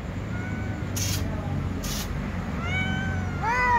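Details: Cats meowing to be fed, a tom cat and a white cat among several others; faint harmonic meows build toward a louder, rising-falling meow at the end, over steady low background rumble.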